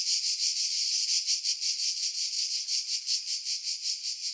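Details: A cicada's harsh, high buzzing song pulses steadily several times a second in pine trees 50 m above the sea at Pefkos Bay, Skiros, Greece, in July 2018; wind noise was filtered out, leaving dead spots.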